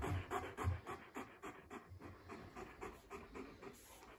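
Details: Male East European Shepherd puppy indoors while visiting a house, panting in soft, steady breaths about twice a second, with a few low thumps near the start.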